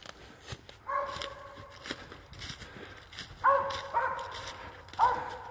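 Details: Squirrel-hunting dog with a squirrel treed, giving loud musical bawls, one early then three close together near the end, each starting high and sliding down, footsteps and leaf noise between.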